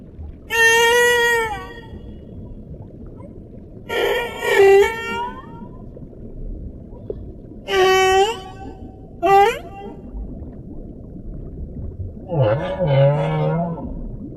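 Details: Humpback whale calls: four or five separate harmonic tonal cries, each about a second long, some sliding downward and one ending in a low rising sweep, spaced several seconds apart over a steady low underwater hiss.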